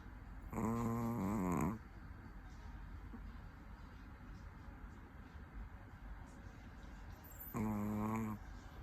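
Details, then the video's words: Sleeping Chihuahua snoring: two wavering, nasal, harmonic snores about a second long, one near the start and one near the end, separated by quiet breathing. "Cute dog sleep chihuahua that pet life funny chihuahua video Snore dog"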